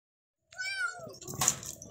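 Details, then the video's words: House kitten uttering a single short, high, slightly falling meow, then a burst of rustling and knocking noise close by. "Kitten in The House"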